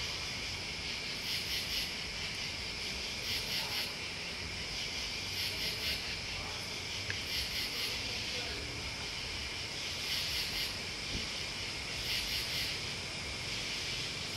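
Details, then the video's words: Crickets and bugs trilling together in a steady high buzz, punctuated by bursts of quick stuttering pulses about every two seconds, with a faint distant murmur underneath. "Listening to Crickets and Bugs"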